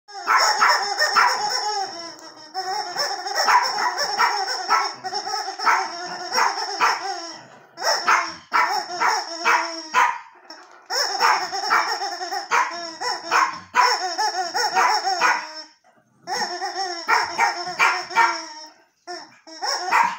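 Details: Archie, a Yorkshire terrier, reacting to a new toy: long runs of harmonic, wavering howl-like yelps and barks in dense bursts, with brief pauses near eight, ten and sixteen seconds and a steady high ringing tone throughout.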